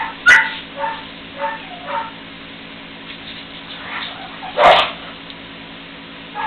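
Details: Three-week-old puppies playing together for the first time: soft, squeaky yips and whimpers scattered through the clip, with two sharp knocks or thumps, one near the start and one louder near the end.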